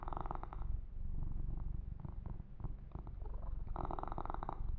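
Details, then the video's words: A kitten named Yumak purrs steadily while being massaged and groomed, a deep continuous rumble of fast pulses, overlaid at the start and end by scratchy rustling from hands moving through fur. "Kitten Massage - Perfect Sleep Helper Ear to Ear Purring"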